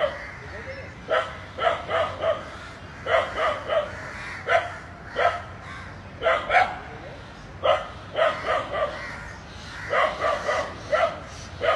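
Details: Dog facing two entwined snakes barks in rapid doubles and triples, clusters repeating every second or so, over low rumbling background noise.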